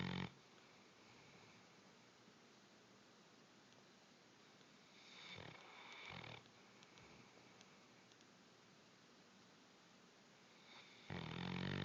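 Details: Bloodhound snoring indoors, a brief rumble at the start, softer breathy snuffles in the middle, then a loud, deep, buzzing snore at the end.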